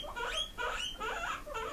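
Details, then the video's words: Indoor pet pigs answer with squeaks when asked if they want grass. Four quick rising squeals, each a short upward-sweeping whistle, follow one after another. "Who Wants Grass"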